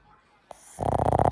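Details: Boston Terrier, a household pet dog, snoring loudly while sound asleep: near-silence and a faint click, then from under a second in a loud, rough, rattling snore with rapid fluttering pulses, broad and harsh across low and middle pitches.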